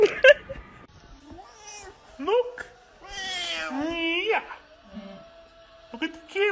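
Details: House cat meowing repeatedly, with one long wavering meow that slides downward at its end, mixed with short chirps and a person's voice.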